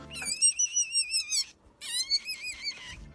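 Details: A domestic rabbit gives a shrill, wavering scream in two bursts, a very rare cry signalling extreme pain, panic or imminent danger such as an attack or serious injury.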